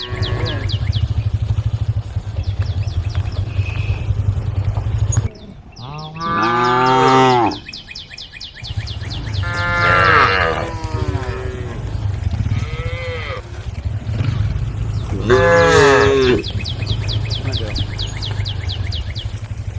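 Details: Tame female cows calling the herd, giving repeated overlapping moos, some short and bending, some long and loud, amid a steady low engine-like drone and quick high chirps repeating in the background.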